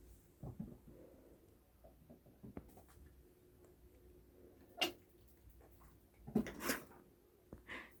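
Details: A chinchilla suddenly makes odd sounds in the morning, which the owner takes for hiccups: short, sharp little clicks and squeaks at uneven intervals in a quiet room.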